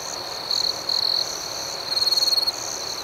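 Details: Night crickets chirping outdoors. A continuous shrill drone sits beneath quick rhythmic pulses, and short louder trilled bursts surge in twice, the second one throbbing rapidly.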